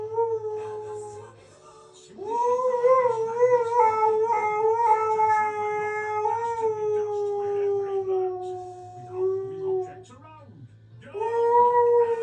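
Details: A male Siberian Husky lying in his beanbag gives a drawn-out, sung howl, holding a wavering note that sags gradually in pitch; after a short break with a few whimpering squeaks, he starts a fresh howl.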